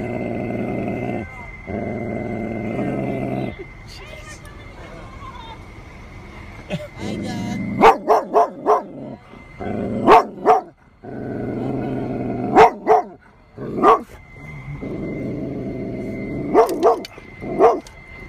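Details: A Golden Retriever named Dug reacting against a stuffed tiger: long low growls open, then bursts of three or four sharp barks in quick succession alternate with renewed growling, a steady high tone faintly behind.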